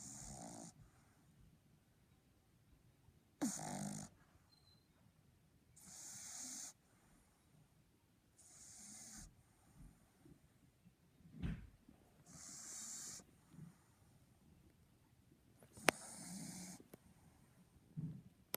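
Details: A Boston Terrier snoring indoors: rough breathy snores in a slow, uneven rhythm, about every two to three seconds, some wheezy and hissing, with a few sharper snorts between them.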